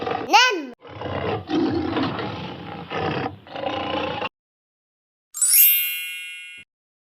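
A leopard gives four harsh, rasping roar bursts over about three seconds, after a short voiced swoop, followed by a bright chime.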